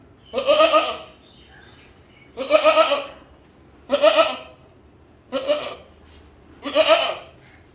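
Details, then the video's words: Five loud, quavering goat bleats, each under a second long and spaced roughly every one and a half seconds, against a quiet background. "Goat Voice Sound"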